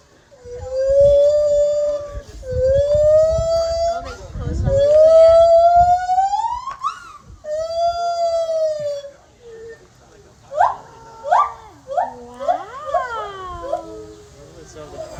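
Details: Lar gibbons calling: long, clear hooting wails held at a steady mid pitch, each swelling louder and swooping upward, repeated several times, then giving way to quick bouncing notes that leap up and fall back in rapid succession.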